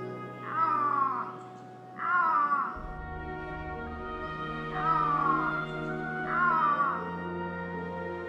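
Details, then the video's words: A wild Iberian lynx in an Andalusian holm-oak forest, late winter, breeding season, amid lingering mists, gives four drawn-out, wavering meows, each under a second long and about two seconds apart, over soft orchestral music. "se escucha el maullido del lince ibérico el felino más escaso del planeta"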